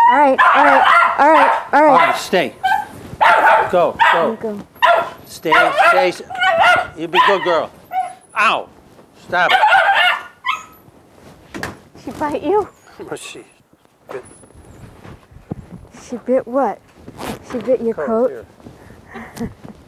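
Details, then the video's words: Maxine, a 1.5-year-old female Jack Russell Terrier, barking as people leave the house: a dense run of sharp, rapid barks in the opening seconds, then scattered yaps, with a person talking throughout. "Jack Russell JUMPS, BARKS and NIPS at People Leaving the House"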